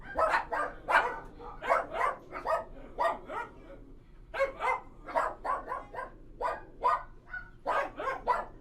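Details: Kennel full of barking dogs, a chorus of short harsh barks coming in uneven clusters, a short pause in the middle, then renewed rapid barking over a constant low background hum.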